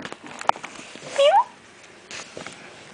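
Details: Feral kitten, one of a litter raised by a feral cat in an industry area, makes a brief rising mew amid clicks, taps and rustling.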